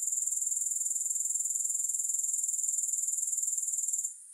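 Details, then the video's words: Dense, high-pitched grasshopper buzzing made of rapid rhythmic pulses, steady for about four seconds before cutting off abruptly into near silence. No music. "Grass Hopper Sounds"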